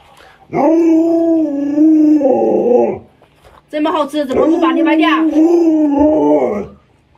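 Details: A long, steady, harmonic-rich howl from Luoluo, an Alaskan Malamute kept as a pet, faced with its owner in a mask; a second drawn-out howl follows, mixed with speech.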